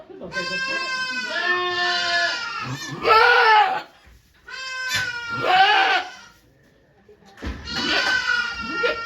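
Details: Goat Okayu in labour at Yoshigake farm on 3 May 2023, delivering twin kids before watching volunteers: three drawn-out, quavering bleats rising into louder strained peaks, separated by short silences.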